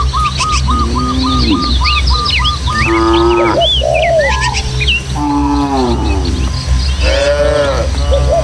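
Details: Village cattle, dozens of tame animals running together through hills and footpaths toward their pen; low harmonic moos rise and fall, with several overlapping calls, while birds chirp and whistle busily above and a steady low rumble runs underneath.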